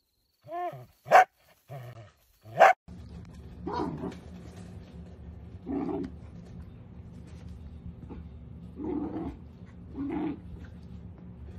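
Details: Dachshund puppy giving high, wavering whines and yelps for the first three seconds, followed by steady background hum with a few muffled, lower barks or grumbles.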